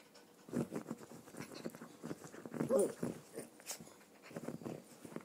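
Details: Donut, a three-year-old red toy poodle female, playing her usual game: bursts of breathy panting-like huffs throughout, with a short high whimpering whine in the middle, all close and indoors.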